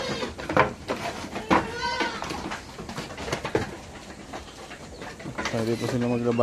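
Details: Goats on a backyard farm, excited to go out, give short wavering bleats near the start and a longer harmonic cry at the end, mixed with human speech and knocking.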